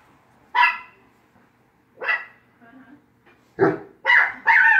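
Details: Dog barking in irregular bursts: three spaced sharp barks, then a quick run of three louder, harsher barks at the end, with faint low grumbling in between.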